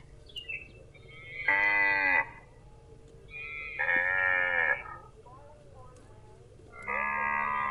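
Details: A cow gives three drawn-out, steady moos, each lasting about a second, over a low rumbling background.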